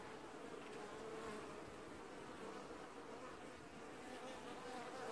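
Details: Many honey bees buzzing while washboarding at an apiary hive in early July 2019; an even, dense drone with a steady hum and slight rises in loudness.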